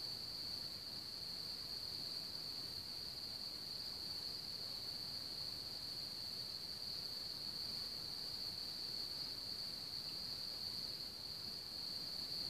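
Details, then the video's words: A continuous high-pitched cricket chorus at Hamr near Chlum u Třeboně, one of Bohemia's biggest cricket populations, rings unbroken and even throughout, over a soft background hiss. "Cvrčci v Hamru"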